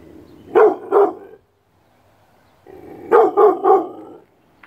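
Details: Six-month-old Rottweiler named Thunder giving full-throated barks in two bursts, a quick pair and then a tight run of three, separated by a short quiet gap, with low huffing carrying between the barks.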